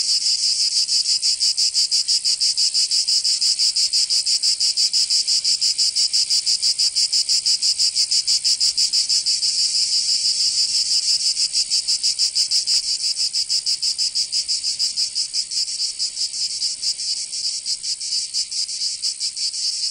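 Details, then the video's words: Steady, very high-pitched cicada drone in summer Provence, southern France, shimmering with rapid pulses that turn slightly choppier toward the end. "Canto Cigarra 🦗 [ Escuchar les cigarras en verano 10 H]"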